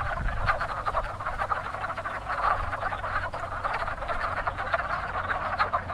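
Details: Wood frogs calling in spring at a very active frog pond, a species among the first frogs to breed each spring; dense overlapping chorus of rapid, clucking croaks from many frogs, with a steady low rumble underneath.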